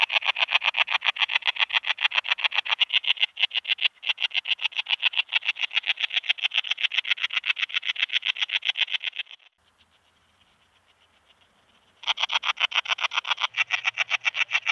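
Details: Common Slender Bush-cricket, Tessellana tessellata, recorded in Freiburg, Germany, on 9 September 2021: rapid, even train of short dry pulses, about four per second, broadband and high, running nine seconds, pausing briefly, then resuming.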